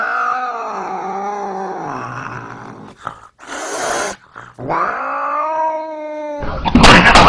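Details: Domestic cat making unusual, funny vocal sounds: long drawn-out meows with strong harmonics, sliding down then rising, a brief break midway, ending in a burst of noise; a person greets the cat just before.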